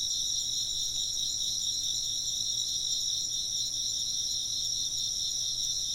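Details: Japanese sleep and work soundscape of chirping insects: a loud, even, high-pitched shimmering chorus of rapid pulses stacked in multiple bands, continuous across the whole stretch.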